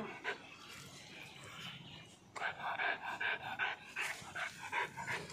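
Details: Kombai dog panting: fast, breathy rhythmic huffs, several each second, growing louder after a brief pause midway.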